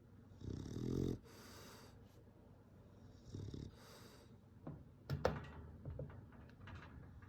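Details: Bulldog asleep and snoring softly: two faint rasping snores a few seconds apart, followed by quiet breathing with small clicks and shuffling noises.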